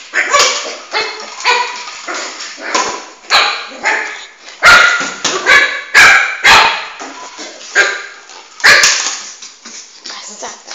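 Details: Indoor recording of Flame, a Shih Tzu puppy about four months old, excitedly chasing his ball until tired; a steady run of shrill, clipped barks, about one per second, some doubled, with no other sounds.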